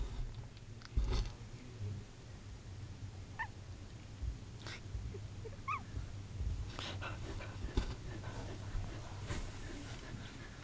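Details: Two-day-old Shetland Sheepdog puppies, nine in the litter, squeak while sleeping and twitching; a few short thin squeaks with rising then falling pitch stand out over low room hum and soft rustling.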